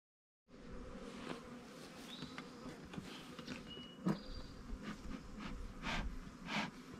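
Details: Honey bees in a queen-right split hive 20 days after the split, population booming and already drawing comb in the honey supers; a steady low buzzing hum runs throughout, with scattered knocks and a few thin high whistles.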